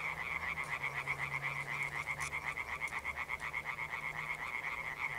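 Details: In the evening on 1 June 2021, a chorus of European tree frogs gives loud, rapid, rattling croaks in an unbroken, pulsing stream.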